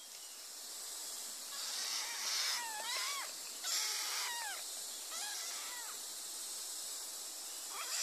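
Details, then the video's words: Kittens meowing: several thin, high bent mews in short bursts, some overlapping, over a steady hiss of background noise. "Funny Cats Kittens Meow"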